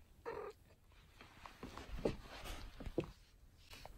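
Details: Pet cat sunbathing in her favourite spot gives one short, mid-pitched meow lasting about a quarter second, followed by faint soft rustles and low room noise.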